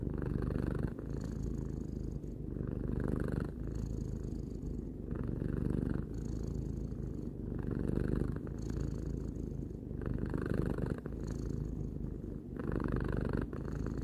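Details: Three-year-old house cat Tarou purring contentedly, a deep vibrating drone pulsing in alternating breath phases roughly every one and a half to two seconds, with soft breathy hiss layered over the low throb.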